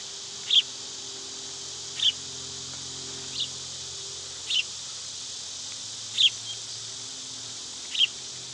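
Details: A continuous shrill buzz of cicadas in summer fills the background, with single clear bird chirps dropping in roughly every one and a half seconds.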